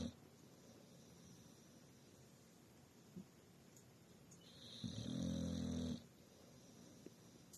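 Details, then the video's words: Dog snoring in its sleep, one loud, low, raspy snore near the end after a long stretch of soft, quiet breathing. "#dog #viral #snoring"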